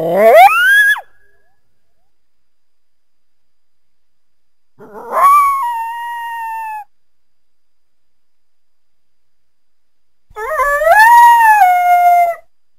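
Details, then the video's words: Coyote calling in three separate drawn-out wails, each rising steeply then holding a level, slightly falling tone for one to two seconds, with rich harmonics and long silent gaps between them; no other sounds. "Coyote Sounds"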